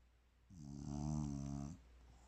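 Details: A sleeping bulldog gives one peaceful, drawn-out snore lasting just over a second, a low buzzing rattle with a faint hiss on top.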